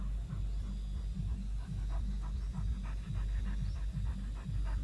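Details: Male Dobermann, shy in front of the camera, panting in quick, fairly regular breaths, roughly two to three per second, each a soft breathy puff over a steady low hum.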